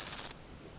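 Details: Stridulation of Omocestus raymondi, the Criquet des garrigues, recorded on 31 August 2014 at Gissac in Aveyron, Midi-Pyrénées, France: a single short, dry, hissing high-pitched buzz lasting about a third of a second, then near silence.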